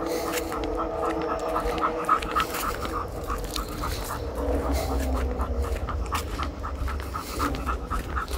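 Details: Pit bull dog panting on a walk, quick rhythmic breaths about three to four per second, steady and unbroken through the clip with a constant low rumble underneath.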